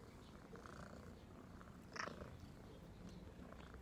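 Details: Domestic cat purring, low steady rumble throughout, broken by a brief higher click or squeak near the middle.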